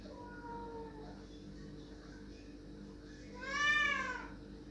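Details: Pet cat crying to be let through a door, a faint drawn-out meow at the start followed by a much louder, rising-then-falling meow near the end, over a constant low background hum.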